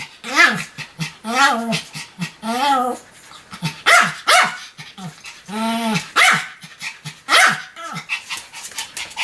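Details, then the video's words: Sam the Pomeranian keeps up a chain of shrill, arching barks, some drawn out into whiny yelps, spaced about a second apart with short gasping breaths between them. "犬の鳴き声 ポメラニアン サムちゃんの連続吠え集"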